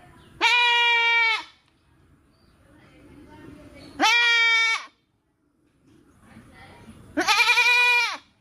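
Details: Three loud, steady, nasal goat bleats of about a second each, roughly three seconds apart, held on an even pitch, with faint low background sounds between them.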